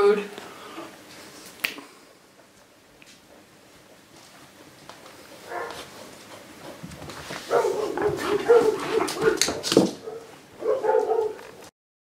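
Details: Siberian huskies indoors as a 7-week-old puppy meets his father for the first time, with cats nearby; drawn-out, wavering whines and yowls in bursts lasting two to three seconds, mixed with clicks, rustling and a person talking.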